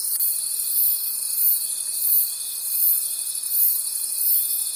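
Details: Crickets calling at night in a forest: a dense, high, shimmering chorus that swells and fades in soft pulses under a thin steady whine held throughout.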